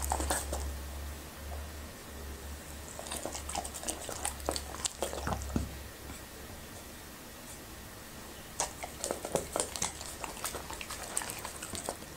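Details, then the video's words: Labrador retriever named Happy chewing okra and raw meat, soft squishy bites and sharp clicking crunches in irregular bursts, quieter pauses between, low background hum in a small indoor room. "Happy's Eating ASMR:Okra and Raw Meat"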